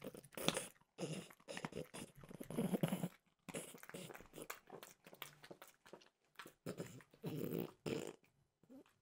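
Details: Indoors, Frenchbulldog Mimosa works through a peanut butter flavored dog treat, giving clusters of sharp crunchy bites broken by brief quiet moments.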